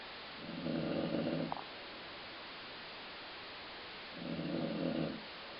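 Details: Snoring from Colline, a dog: two grating, buzzy breaths about three and a half seconds apart, each lasting around a second, likened to stomach growling, over faint steady hiss.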